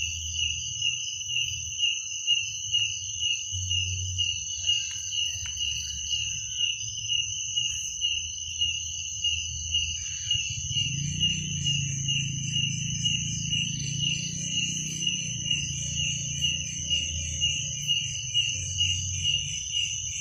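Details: Night-time cricket chorus, steady and piercing, with rapid pulsing roughly twice per second; partway through a low rumbling drone swells up beneath the insects and fades again.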